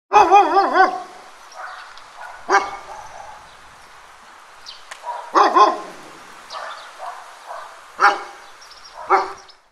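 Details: Large dog barking loudly: five deep, harsh barks at uneven gaps of one to three seconds, the first a quick double bark, each trailing off in a short echoing tail, with faint noise between them.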